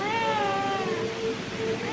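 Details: White pet cat talking to its owner when called: one long drawn-out meow, slightly falling in pitch, then trailing into softer, steady tones that fade and return briefly near the end.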